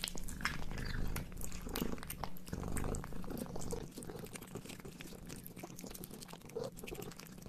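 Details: Cat chewing a hamburger up close, rapid moist biting and smacking sounds, busier in the first half then softer, over a low steady hum.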